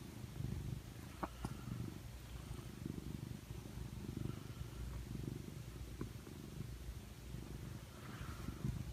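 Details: Domestic cat curled up in its owner's arm, purring steadily: a continuous low, rumbling vibration throughout, with a few faint clicks and soft rustles.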